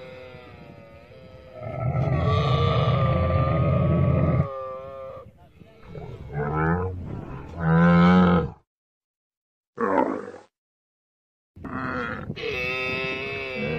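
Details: Camel making a series of roars: a long deep rumbling bellow, then several shorter gurgling bursts separated by silences, ending in a sustained rough call.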